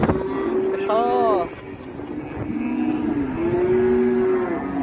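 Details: Raging released cattle with an old man leading them: a long, even moo, then a short wavering higher call, then two more sustained lowing tones, while voices chatter nearby.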